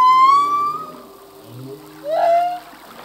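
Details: Singing male humpback whale: a long steady whistled tone rich in harmonics, a brief low grunt, then a loud rising squeal that levels off.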